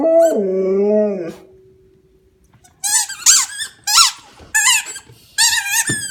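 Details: Australian Shepherd dog indoors howling while playing with a squeak toy: one sustained, steady, harmonic-rich tone lasting over a second, followed by a run of sharp, high toy squeaks.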